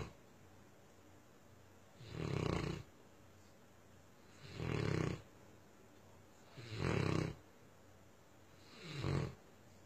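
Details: Deep, steady snoring from Myah the Tosa Inu, four rasping breaths evenly spaced about every two and a half seconds, each a low, gravelly rumble over a quiet room.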